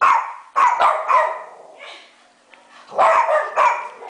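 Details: Pet dogs inside a house bark at a mounted deer head placed on a garage counter, giving a run of harsh, overlapping barks, a softer pause, then another rapid cluster of barks.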